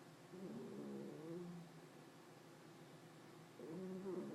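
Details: Female pet cat Hopey snoring in deep sleep; two drawn-out, harmonic nasal snores, the first over a second long, the second starting near the end, with a quiet hum in between.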